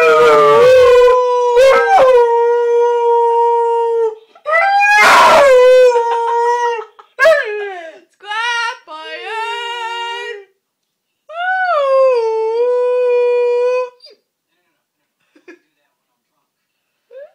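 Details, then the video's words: An 8-month-old Siberian Husky puppy gives drawn-out, wavering howls with rising and falling pitch, answering the calls of a passing scrap man. "Axel (8 month old husky puppy) howling to the scrap man"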